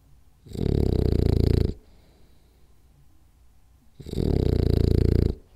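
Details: Sleeping French Bulldog Rolly snores indoors during a power nap, two heavy, grating snores each lasting over a second, separated by a hushed pause of roughly two seconds.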